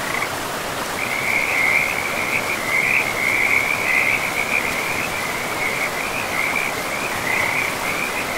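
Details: Frogs by a river in a pristine forest with moss-covered land: a steady, rippling high trill runs almost unbroken from the first second, wavering slightly in pitch, over a constant broadband rush of flowing river water.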